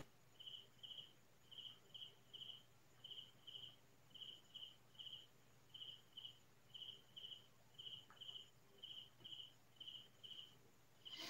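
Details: Night-time cricket calls from farm fields in the Philippines: a steady run of bright, high double chirps, close to one pair per second, over a quiet low hum, with a short click near the end.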